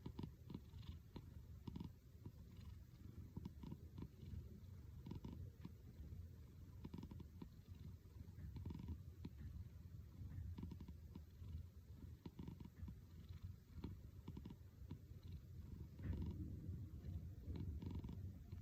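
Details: Purring house cat whose purr resembles snoring; a long unbroken low rumble lasting nearly twenty seconds, with light crackling clicks scattered through it.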